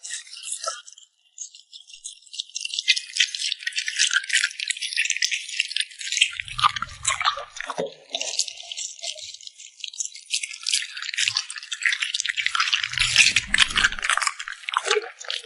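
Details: A puppy smacking its lips while eating indoors, heard up close as dense, crackly, wet clicks and smacks that run almost without pause after a quiet first two seconds, with a few soft low thumps near the middle.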